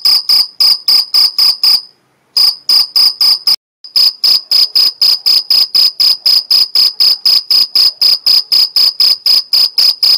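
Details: Mediterranean field cricket stridulating in the Algarve, Portugal: rapid, high, ringing chirps about four per second, broken by two brief silences early on, then a steady unbroken run.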